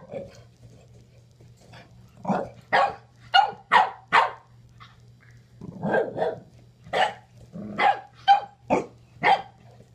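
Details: Two French Bulldogs, an adult and a puppy, playing together through a kennel for the first time: a run of short, sharp barks and yaps in irregular bursts, about a dozen over ten seconds, with a low steady hum behind.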